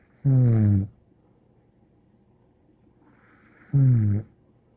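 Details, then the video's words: Bear, a dog, snoring steadily. Two short, guttural, vibrating snores sound roughly three and a half seconds apart, each trailed by a light hiss of breath. The room is otherwise still. "More angel Bear Snoring"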